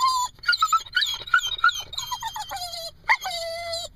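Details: Jack Russell Terrier and Corgi cross dog, very upset when left in the car, whining in high, wavering whimpers that slide and break into short yelps, with sustained falling whines near the end.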